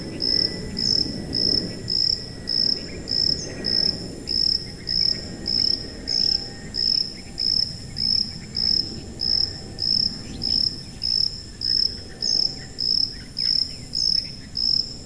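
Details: Shrill cricket chirps for tinnitus masking: a clear high tone pulses in an unbroken, even rhythm, around two dozen bursts, with faint overtones above and gentle low rumbling noise beneath.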